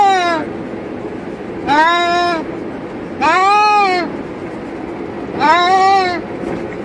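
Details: Two caged cats in a car cruising on a highway making funny noises: drawn-out, wavering, rising-then-falling yowls of under a second each, about four in seven seconds, over steady low road and engine rumble.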